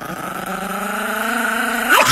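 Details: Angry, aggressive Chihuahua growling: a steady, sustained rumbling growl held for about two seconds, ending in a sharp upward rise into a brief higher-pitched yelp.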